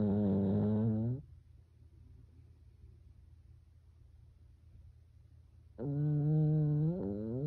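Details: Byeol the Pekingese sleeping at home and snoring in a humanlike way: a deep buzzing snore fades, a quiet gap of over four seconds follows, then another long, low, harmonic snore with a small pitch jump near its end.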